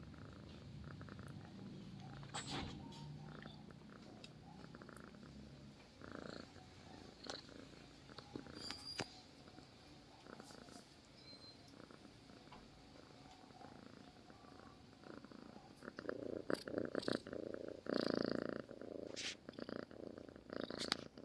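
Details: Domestic cat purring in its sleep, a soft throbbing low purr repeated several times a second, with scattered clicks, rustling and brief handling noises growing busier in the final seconds.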